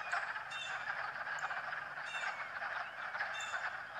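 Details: Many frogs calling together as they swim on a fine March day, a constant rasping trill filling the air, punctuated by brief higher clicks about once a second.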